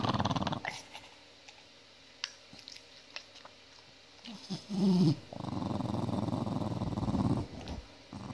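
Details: Holly, an angry pet dog, growling: a low, rough rumble heard in a short burst at the start, then a louder sustained growl lasting about two seconds, with quiet room sounds between.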